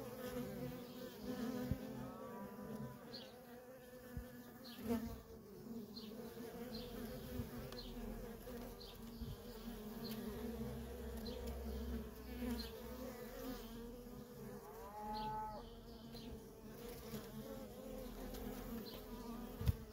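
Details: Worker honey bees in nonstop traffic at a feral colony, a steady droning hum with layered harmonic tones and overlapping buzzes that swell and fade as individual bees pass close, against soft background rumble.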